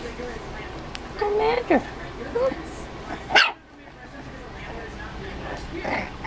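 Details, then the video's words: Four-week-old Dachshund puppies at play: thin, tonal whining yelps that slide up and down, a short squeaky yip, then a sharp loud knock before the room goes quiet, with faint squeaks afterward. "Dachshund Puppies Playing"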